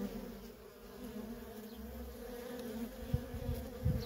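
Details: Feral colony of honey bees with workers in constant flight, producing a steady low hum with overtones; near the end a few soft low thumps break through beneath the drone.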